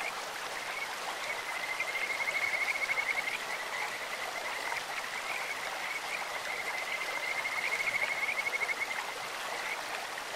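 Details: Kajika frog croaking in a clear stream: two distinct bursts of fast, high, pulsed trilling at a constant pitch, early and again near the end, with quieter trills between, all over continuous flowing-water hiss.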